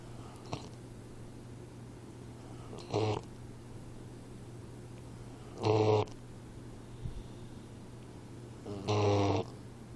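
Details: Sleeping 4-month-old Boxer puppy Troy snores: three loud, harsh, buzzing inhalations about three seconds apart, with quiet pauses between them. A constant low hum runs underneath.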